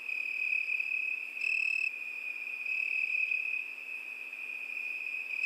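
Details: A summer night filled with cricket song, a sustained high, thin trill running throughout, with one brief sharper high chirp early on.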